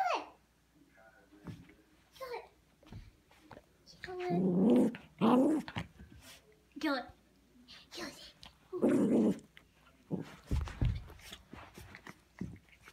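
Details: A female Yorkshire Terrier gives rough, rumbling play growls in bursts while playing tug of war with a scarf as a person urges it on.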